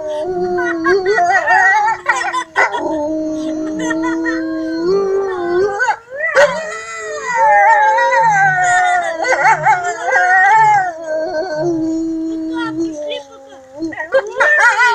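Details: Several wolves howling together in a chorus at Kostroma Zoo in Russia, captive. Overlapping long, wavering howls slide up and down, some voices low and steady, others higher and rising, with short breaks near two and six seconds.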